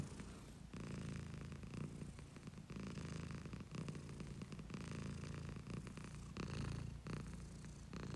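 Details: Pet cat giving a long steady purr, deep vibrating rumble with regular breath-driven pulses, nearly continuous after a short quiet start, close and clear with no other sounds.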